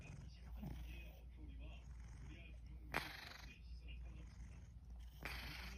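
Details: Yamyam, a pet cat napping, snores with a low steady rumble broken by two harsher, breathy inhalations a couple of seconds apart.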